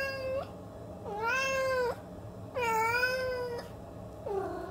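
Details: Long, steady Siamese cat meows, three sustained wailing calls of nearly a second each with strong harmonic overtones, followed by the start of a fourth lower, falling meow; quiet room background.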